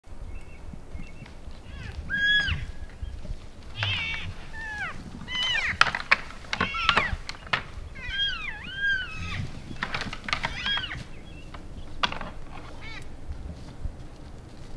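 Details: {'caption': "Elk bulls sparring and playing in late January after the rut in Canada's Rockies, giving repeated arched, high squealing mews with harmonics, mixed with sharp clacks and low rumbling background."}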